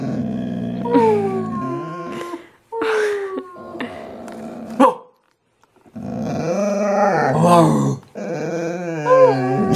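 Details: Pippa, a pet dog, "talking" with her owner's brother: drawn-out moaning growls with wavering harmonic tones in bursts of about one to two seconds, broken by short pauses, the dog answering back and forth.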